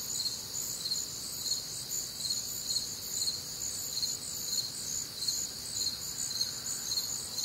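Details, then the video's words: Crickets calling through a warm, humid summer night in the Midwest, their stacked high-pitched trills forming an unbroken wall of sound with gentle rhythmic swells. "Night Time Cricket Sounds"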